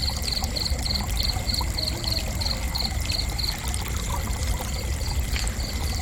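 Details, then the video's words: Cricket chirping gently for relaxation: short, high, evenly spaced chirps about three per second, with a brief pause midway before the rhythm resumes, over a steady low rushing, trickling water-like background. "Gentle Cricket Chirping"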